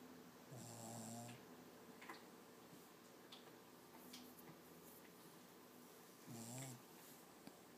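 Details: Toby, a sleeping six-month-old Lhasa Apso puppy, dreams aloud with two brief low, buzzy snore-whimpers, one early and one near the end, separated by several seconds of soft breathing in a quiet room.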